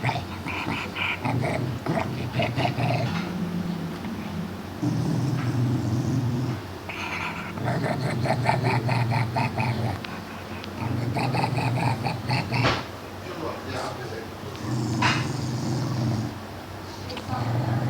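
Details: A dog growling in long, low, rumbling bouts of two to three seconds each, separated by short pauses, with the rougher harmonic growls rising and falling across the stretch.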